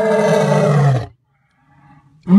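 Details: A white lion gives a deep, rumbling roar lasting about a second, then starts another.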